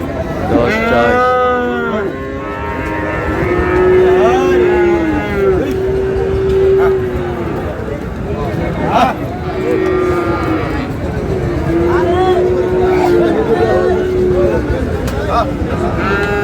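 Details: Friesian and crossbred bull calves at Ambari market, Dinajpur, Bangladesh: several long steady moos, some overlapping, amid busy market noise, people haggling over prices and passing vehicle sounds.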